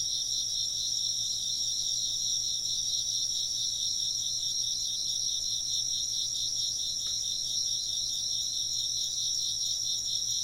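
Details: Insects chirping without a break, a high, shimmering, finely pulsed trill in stacked bands, with one brief faint tick near the seventh second over a low background hum.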